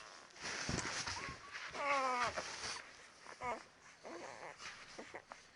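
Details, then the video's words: Ten-day-old Labrador Retriever puppies: a short, wavering, harmonic whine near the middle, followed by a second brief whimper and scattered soft squeaks against a hissy, noisy background. "Labrador Puppies 10 days / Дети Тори 10 дней"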